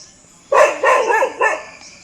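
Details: A domestic dog near Jim Corbett National Park, India, at 4 pm, barks persistently toward dense jungle scrub where something moved, amid deer calls suggesting a predator; three loud, harsh, short barks in quick succession.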